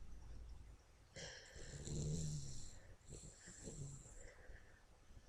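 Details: Toby, a pet dog, asleep and snoring indoors: a long, rattling, low snore lasting about three seconds with a hissing, breathy edge, fading into softer wheezy breaths near the end.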